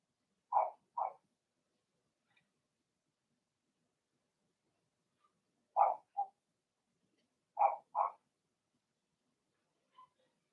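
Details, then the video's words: Puppy barking from a litter of six Blenheim Cavalier King Charles Spaniels, Remy's first, in their home puppy pen: three spaced pairs of sharp, high yips about two seconds apart, with quiet in between. "Cavalier Puppies Bark"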